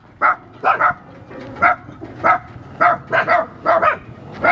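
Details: German Shepherd: about nine muffled, mid-pitched barks, single or paired, spaced at irregular half-second intervals over a faint steady background hum.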